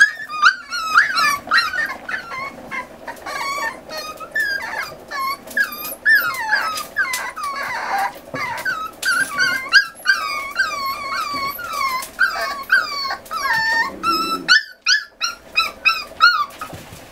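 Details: Eight Miniature Schnauzer puppies, 40 days old, indoors at weaning time after their mother scolds them; a long chorus of high, quavering whines and yips from several pups, overlapping and nearly continuous.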